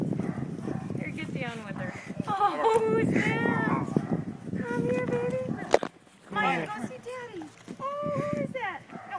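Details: German Shepherd greeting his owner on his return home: drawn-out, warbling whines and howl-like tones that rise and fall, some held steady, mixed with excited human voices and a sharp knock.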